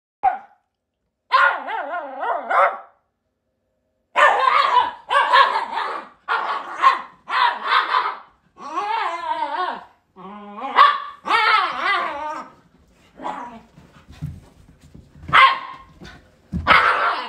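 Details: Pet Shiba Inu dogs vocalizing indoors in a run of loud harmonic bursts: short barks and longer wavering, yelping whines, mostly in quick clusters with brief pauses between groups, with a few soft thumps near the end.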